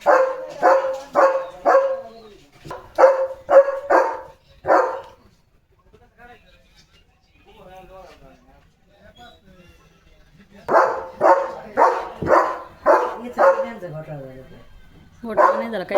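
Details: German Shepherd named Leo on a farm sunset walk, barking while a tractor is about. Two bursts of rapid, regular barks with a quiet gap of several seconds between them, then a final short volley. A man chats nearby.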